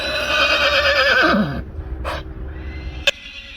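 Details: Friesian horse giving a long quavering whinny that slides downward and fades after about a second and a half, followed by a short soft snort and a sharp click.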